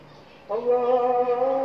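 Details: Samoyed dog Robin howling at dawn alongside the call to prayer, a sudden steady, rich, sustained tone that starts abruptly and holds level with many harmonics.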